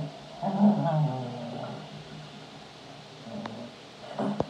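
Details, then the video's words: A Cavalier King Charles Spaniel, while playing, gives a low, wavering, drawn-out howling grumble, followed by a couple of sharp knocks. "Cavalier King Charles spaniel barking and playing and howling"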